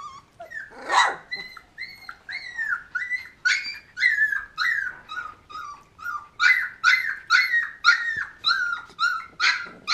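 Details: Golden Retriever puppies, 20 days old, playing with their siblings give rapid, high, squeaky whimpers and yelps, one after another.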